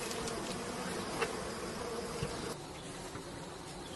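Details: Bees swarming while men collect honey. A dense, steady droning buzz with a faint tonal hum runs throughout, slightly dropping in loudness after the midpoint, with occasional soft knocks.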